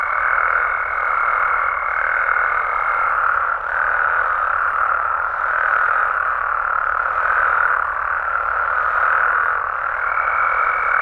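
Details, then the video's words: Nighttime chorus of frogs and toads in Mexico: a dense, continuous croaking din with a steady high whistle-like tone running through the first three seconds and returning near the end. "Mexican Frogs & Toads Sounds"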